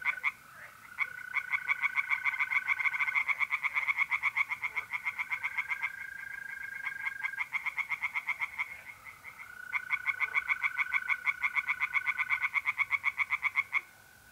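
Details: Tree frogs singing from a pond on an April night in north-eastern Italy: dense, rapid pulsed croaks, about four per second, in overlapping bursts, over a long steady trill from mole crickets.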